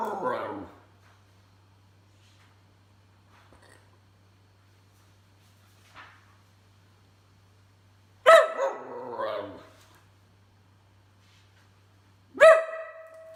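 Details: Whippet vocalising in a small indoor room: a short call at the start, then long quiet, then a wavering falling moan-like sound near the end followed by one sharp bark.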